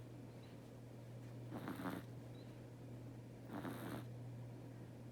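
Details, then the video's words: Teto, a pet cat, snoring while asleep indoors: two soft, breathy rasping breaths about two seconds apart, over a steady low electrical hum in a quiet room. "intently cat's snore ひたすらテトのイビキを聴く動画"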